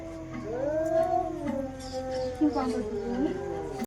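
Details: Female domestic cats in a fight: a single drawn-out yowl that swells upward then slowly slides lower and wavers, over a low steady hum.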